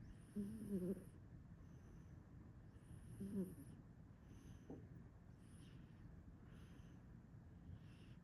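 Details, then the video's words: Male domestic cat Enzo, fast asleep, lets out two loud, buzzy snores about three seconds apart, then several fainter, breathier snores that fade toward the end. "Crazy cat snores like his daddy!"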